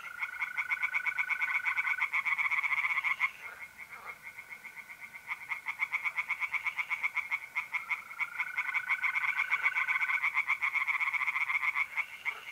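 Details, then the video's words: Mid-April night at a pond in north-east Italy, tree frogs calling in a dense chorus of fast rasping pulses, briefly thinning near the middle, while mole crickets keep up a smooth, unbroken trill in the background. "relaxing singing tree frogs in pond and trilling mole crickets by night"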